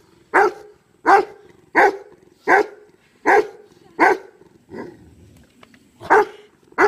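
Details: Grieving dog Kano barks at dead friend BJ, refusing to let him be buried. The loud barks come steadily, one almost every 0.7 seconds, with a softer yip near the end.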